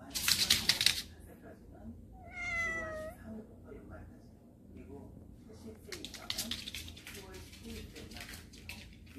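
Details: A cat from a warehouse cat family that has come indoors gives one short, rising-then-falling meow after a burst of loud noise. Faint background voices and scattered clatter follow.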